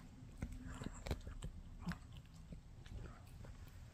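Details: Shih Tzu Mikki chewing on a no-hide bully stick, giving dull low thuds and brief dry clicks at uneven intervals, with one stronger crunch about a second in.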